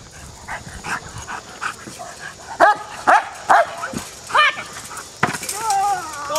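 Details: American Bulldog barking during bitework training: a few sharp broadband barks, the loudest around seconds 2.5 to 4.5, mixed with speech and other noise.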